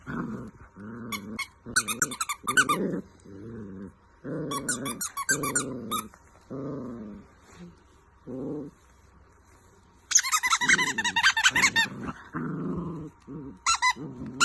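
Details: Golden Retriever puppies playing with their toys indoors: low, rumbling playful growls in short repeated bursts, interrupted by loud, high squeaky-toy squeals at several points.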